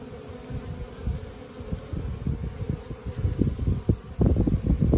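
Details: Wild honey bees in a tree beside a house, possibly moving in; low steady droning hum with wing-buzz bursts growing louder toward the end, light wind in background.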